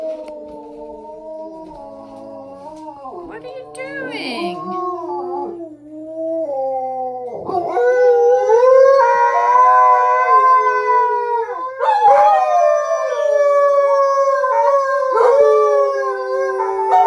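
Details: Alaskan Malamutes Dotty, her mother Sojou and Fish howl after a sound played through a hollow foam pipe. A softer opening howl swells into several loud overlapping wavering voices, sustained and sliding together without pause.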